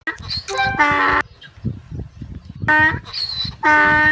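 A donkey brays in loud, harsh bursts, rasping hee-haw notes repeated over a murmur of voices.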